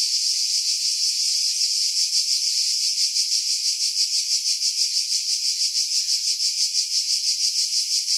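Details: Cicadas singing in pine trees about 50 m above the sea at Pefkos Bay, Skiros Island, Greece, in July 2018, recorded with a Sony RX3 and external mic: a dense, hissing high buzz pulsing steadily about three times per second, wind filtered out.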